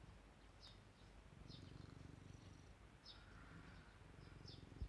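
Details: Pet cat Ajiko sitting at a second-floor window, gazing up at the sky, gives a low, steady rumbling purr with a rhythmic pulsing swell; brief high bird chirps sound now and then in the background.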